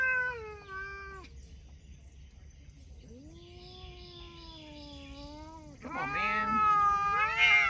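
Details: Cats talking: a loud falling meow opens, then a long low drawn-out meow held for seconds, and a burst of bright, overlapping high meows at the end.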